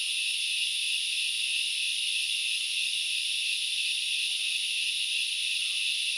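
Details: Continuous high, hissing insect drone from grasshoppers recorded in the forest of Sri Lanka's Knuckles Reserve in the Central Highlands, layered shrill bands holding an even level with no pauses, and only very faint lower sounds beneath.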